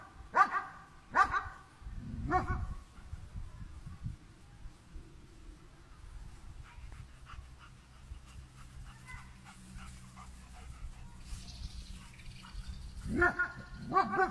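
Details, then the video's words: German Shepherd dog confronting a cow: three quick barks open the recording, then a long stretch of quiet outdoor background noise before two more barks close it. "გერმანული ნაგაზი vs ძროხა"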